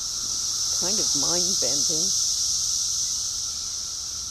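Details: Cicadas during a mass emergence, a steady high shrill drone holding evenly throughout, with a brief burst of human voices in the middle.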